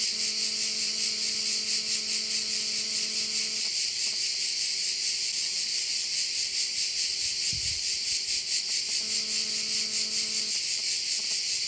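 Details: Steady shrill cricket chorus at a Korčula bay in Croatia, rapidly pulsing high buzz throughout; a low humming mechanical drone with layered overtones sounds for the first four seconds and returns briefly near the end.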